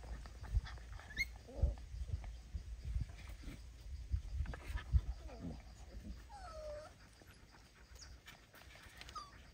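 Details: Puppy kissing its mother dog; scattered soft whimpers and short curving whines, some dipping then rising, mostly in the second half, over steady low rumbling background and occasional thumps.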